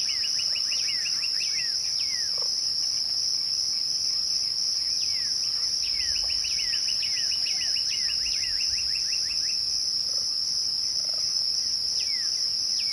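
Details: Twilight crickets hold a constant shrill, ringing drone from start to finish; bird calls break in now and then with rapid bursts of short notes and falling, slurred whistles.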